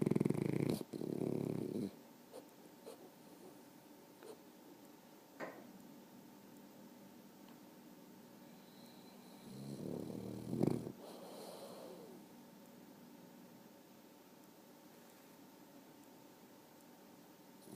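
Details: Dog snoring indoors: two soft, breathy low rumbles, one at the start and another about ten seconds later, separated by quiet room hum with faint clicks.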